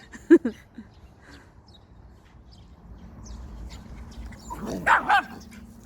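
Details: Pet dogs, a Schnauzer and a West Highland White Terrier, giving one sharp bark near the start, then a quiet stretch and a doubled bark pair near five seconds, with faint background hum.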